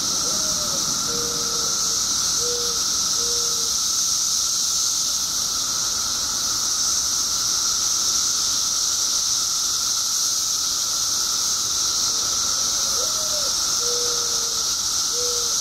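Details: Billions of periodical cicadas in Illinois, newly emerged after 17 years underground, fill the air with a steady piercing drone; a few short soft whistled notes come near the start and again toward the end.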